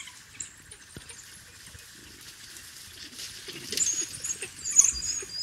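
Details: African wild dog puppies at their den, close and fairly loud: high-pitched squeaks and twittering chirps building over the last two seconds, with a soft patter and a steady insect-like drone underneath.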